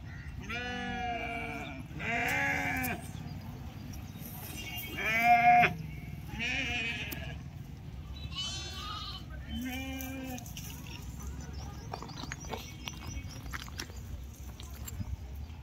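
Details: Several sheep at the Pebbair market bleat in quick succession, six shaky, nasal cries in the first ten seconds, some overlapping, followed by quieter market chatter and clatter.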